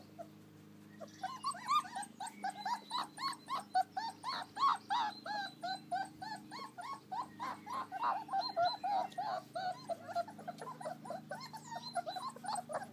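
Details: American Akita puppies at play in the garden on a beautiful day outside; a long run of rapid, rising whimpering yips, several each second, almost continuous for ten seconds over a low steady hum.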